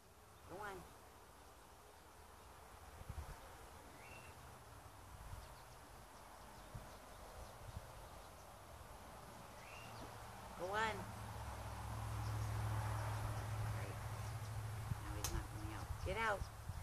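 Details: A gray fox (Urocyon cinereoargenteus), trapped in a small cage in Oregon, USA, and fairly calm, gives a few brief, harsh, wavering cries over a steady low rumble.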